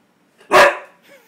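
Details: Husky trained to talk on command, answering a request for a treat; a single loud, short, harsh bark-like utterance followed by a faint rising whine.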